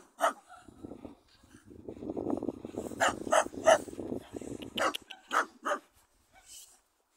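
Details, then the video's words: Dog encountered while barking; a burst of sharp barks, several in quick succession near the middle, over a rumbling background, with scattered quieter yips before and after. "Spotkanie psa który szczeka cz.2"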